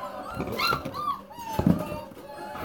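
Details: Hungry puppies at a kennel whine and yelp in thin, rising squeals before feeding, while a man talks over them.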